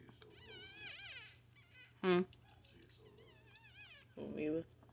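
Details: Newborn Chihuahua puppies, filmed up close as their mother gives birth, give thin wavering squeals that rise and fall in pitch, in two bouts, broken by two short louder bursts of sound and a steady low hum.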